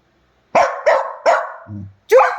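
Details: Pet dogs quarrelling at night: three quick, harsh barks in a row, a short low grumble, then one more bark, while a woman tells them to be quiet.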